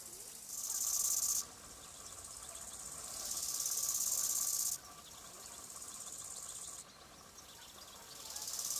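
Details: Bow-winged grasshopper chirping in three hissing, high-pitched bursts, each one to two seconds long and rising in loudness, separated by brief quieter gaps filled with a faint, steady rasp.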